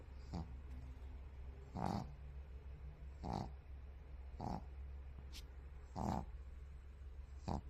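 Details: A white pug snoring in its sleep with a steady run of short, rough, breathy snorts roughly every one and a half seconds, some louder than others, over a constant low hum.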